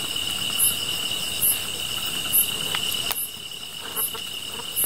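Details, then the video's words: Chorus of grass insects near a fire: steady piercing trill with very high chirps pulsing about once a second, six chirps, broken by a sharp crackling snap midway. "풀벌레 소리"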